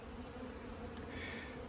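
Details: Defensive honey bees, unhappy at an intruder, during extraction of a 15-year-old hive from a house. A continuous deep buzzing hum with steady harmonic layers and a brief high tick near the middle.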